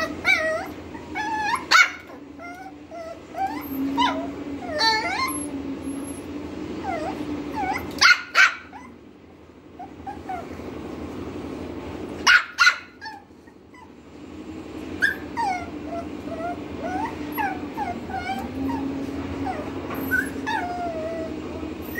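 A Lhasa Apso whines and yips in high, wavering tones, breaking into a few sharp barks.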